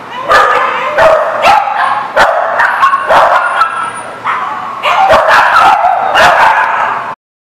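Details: Several dogs at a dog park on 22 July 2019, barking and yipping loudly in close overlapping bursts, with a thin whining note running through, ending abruptly.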